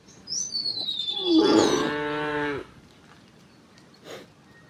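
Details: Cows ambling toward a wide field in the morning; one full, loud moo lasting over a second, preceded and overlapped by bright chirping birdsong, then quiet.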